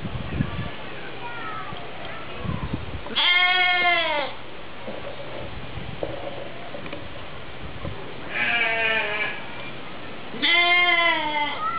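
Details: Captive goats at a Polish zoo in Opole: three strong, trembling bleats, each about a second long, with shorter faint calls and human voices between them.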